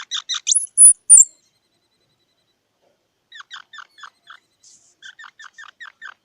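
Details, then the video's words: Squirrel opening with a few loud squeaky notes and two thin high whistles, then falling silent before resuming with a softer train of short clipped chirps spaced evenly, all quite clean and quiet behind. "សំលេងដង្ហែន Squirrel 🐿️ Sound"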